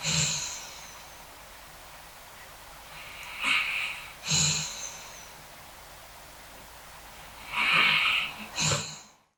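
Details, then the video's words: Basset Hound sleeping, snoring and dreaming indoors during a thunderstorm: breathy, hissing snorts and sighs in irregular bursts every few seconds, with quiet pauses between. "Basset Hound Sleeping, Snoring, and Dreaming During Thunderstorm"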